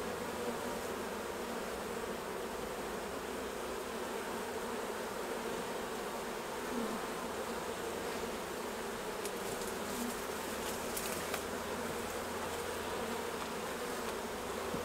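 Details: Honey bees at their hives during a honey harvest: a steady, dense droning hum holds for the full fifteen seconds over a broad hiss, with brief crackling clicks near the end.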